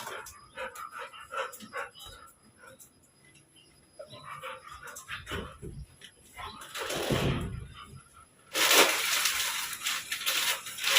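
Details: A Golden Labrador puppy gives short, sharp barks in bursts at a large suitcase it sees for the first time, mixed with a person talking and some music.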